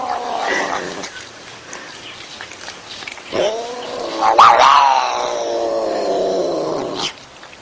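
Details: Domestic cat making odd, eerie noises: a faint wavering moan that swells at about three seconds into a loud, drawn-out harmonic yowl with wobbling pitch, holding for several seconds before cutting off abruptly.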